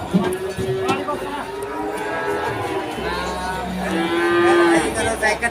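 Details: Cattle at the Pon cattle market in Ambarawa during Ramadan 2024: several drawn-out, steady mooing tones, some rising slightly, heard over background music and crowd murmur.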